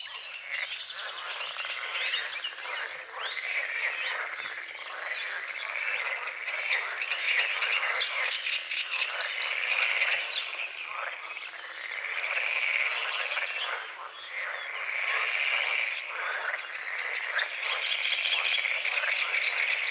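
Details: Frogs croaking at dawn on a small forest-edge lake under morning fog: a dense, rasping chorus of rapid pulses that swells and fades in waves every few seconds, with faint bird chirps above.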